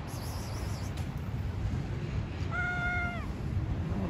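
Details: Street cats meowing to one another; a single clear, level meow lasting under a second after a quiet start, with low rumbling background noise.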